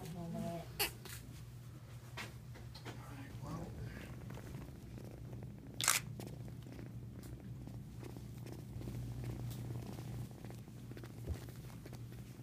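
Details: A rescued single male Florida panther kitten, seven days old, hypothermic and listless, taken to the Animal Specialty Hospital of Florida in Naples. A steady, low rumbling purr runs throughout, with people talking, a sharp click and handling noises.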